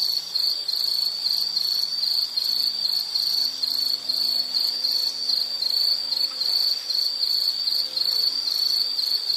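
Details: Insect calling steadily in a nature soundscape, a continuous high, shrill trill held at one pitch with a faint rapid pulsing, unbroken throughout, with a soft hum low in the background.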